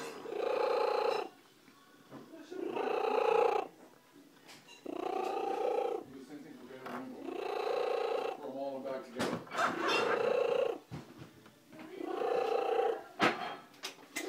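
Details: Loud, rhythmic rumbling purr from Slugo, a female pet cat found on the side of the road, in long one-to-two-second bursts with short breaths between, plus a few clicks and faint voices.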